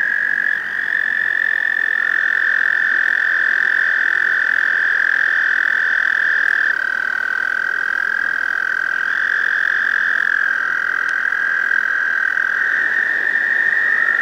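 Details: Chorus of male American toads at a pond during the May breeding season, calling to attract females; overlapping long, unbroken high trills, pitches shifting slightly as individual males start and stop.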